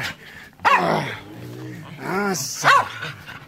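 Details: Dogs Enzo and Ozzy: a few short, harmonic barks and yips in bursts across a few seconds, with a person's voice murmuring between them in a quiet room.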